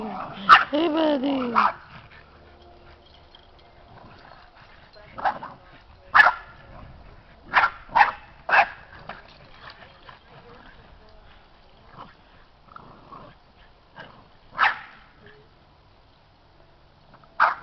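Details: Playful Boston Terrier puppies, seven in all, romping and wrestling around a yard. A wavering, rising and falling whine opens, followed by isolated high sharp yips every second or two amid near-silence.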